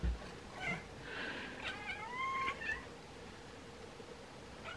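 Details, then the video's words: A pair of Bengal cats vocalising at swallows gathering to migrate; a drawn-out, bending meow with rising and falling harmonics dominates, preceded by a short chirp and followed by quieter chatter, over a low hum. "Ekekek Bengal Cats Chat and Meow at Birds"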